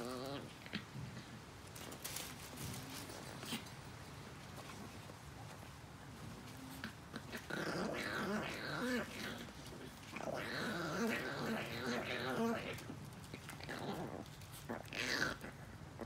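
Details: Tiny female Chihuahua puppy trying to get a chew stick, giving low, rough growls and whiny grumbles in bursts, loudest in two stretches near the middle and end, with thumps and shuffling of play in between.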